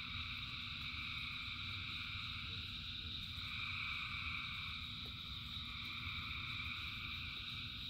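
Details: Frogs calling together in the rain: a continuous, many-voiced trilling wall of sound with a brief swell in the middle and a low rumble beneath.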